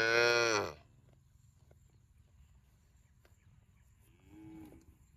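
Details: A cow gives a short, loud, harmonic moo lasting under a second, followed by quiet, then a faint distant moo near the end over a low steady hum.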